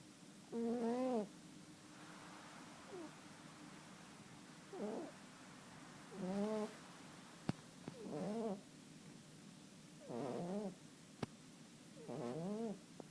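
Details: Domestic cat snoring in its sleep, with a string of wavering, whiny snores of uneven strength at irregular gaps of one to two seconds, and a few sharp clicks in between.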